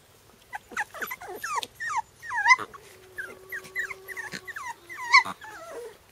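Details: Four-week-old Shiba Inu puppies on their first few minutes outdoors give high, bending whines and yelps that overlap in quick, uneven bursts.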